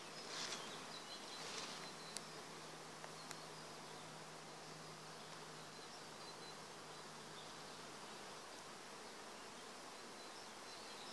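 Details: Bees in an acacia forest: a dense, steady buzzing hum with one low droning tone held for about seven seconds. A few faint high chirps and clicks appear near the start.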